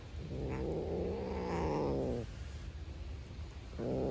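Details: Hungry black outdoor stray cat growling at a beige cat to keep its food. A steady, low, buzzing growl holds for about two seconds, a brief pause follows, then a fresh growl begins at the end.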